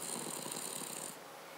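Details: Snoring Cavalier King Charles Spaniel called Paca: one rough, rattling breath with rapid fluttering pulses and a high hiss, lasting about a second before fading to quiet.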